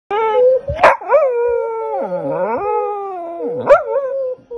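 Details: Pitsai the dog howls while trying to sing along with its owner: a sustained, wavering tone holding steady, dipping low midway, then climbing back, with short sharp yips breaking in.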